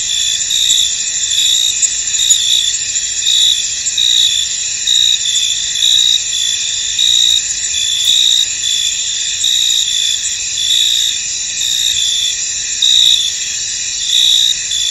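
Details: Crickets in a misty, foggy field: a dense chorus of high-pitched chirping with steady bands of trilling and brighter pulses repeating roughly every second, overlapping callers, no other clear sounds.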